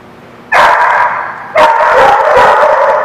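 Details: Dogs at a place called the Barking Lot, recorded 30 September 2016: two loud bursts of dense barking starting about half a second apart, overlapping voices forming a continuous noisy din.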